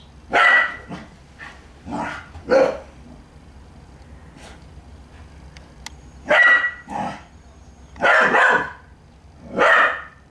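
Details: A puppy eager to play barks at its kitten friend, which is stalking it; sharp yips cluster at the start, then a pause of a few seconds before another run of loud barks.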